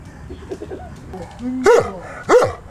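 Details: Two abrupt, deep barks from Sam, a male Newfoundland dog aged 12, recorded in June 2009. They come about 0.7 seconds apart after a short stretch of quieter background sound.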